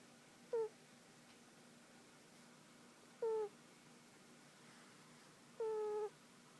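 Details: Tiger, a pet domestic cat, snoring while asleep on a lap indoors: three short whistled nasal tones with a slight downward slide, each about a third to half a second long, spaced roughly two to three seconds apart, over a quiet room hum.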